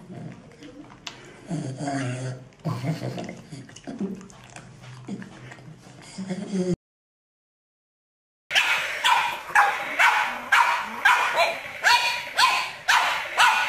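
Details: Pug, one of a set of funny pet dogs, barking: people talk first, then a short silence, then a run of sharp, harsh barks about twice a second, each fading in a quick rasp.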